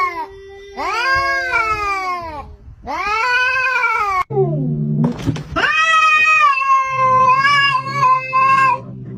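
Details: Cats fighting: long wailing yowls that rise and fall, a brief low growling snarl in the middle, then a sustained high, wavering caterwaul lasting several seconds.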